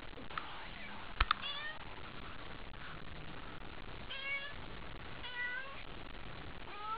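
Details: Haiko the cat, worked up by a toy during a nighttime session, gives a run of four or five harmonic meows, some falling, after sharp clicks and knocks, with faint voices in the background.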